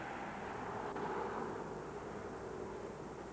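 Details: Continuous steady roar resembling distant aircraft or traffic noise, without any animal sound.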